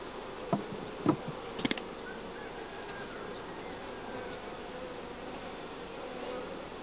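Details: Honey bees of a spring colony buzzing at the hive during colony growth and brood-nest breaking; an even, continuous droning hum, with three sharp knocks in the first two seconds, then steady buzzing.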